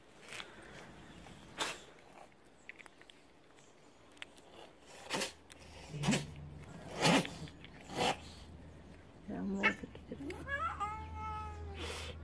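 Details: House cats waking their owner at around 5:30 in the morning: several sharp knocks and clatters, then one drawn-out harmonic meow that rises and falls near the end, over a steady low hum.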